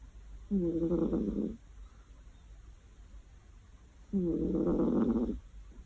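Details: Sleeping cat on a warm afternoon giving two long, buzzy, rumbling snores about three and a half seconds apart, with a faint hum in the quiet gaps.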